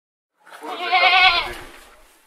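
A lamb gives a single high, wavering baa that swells and then fades.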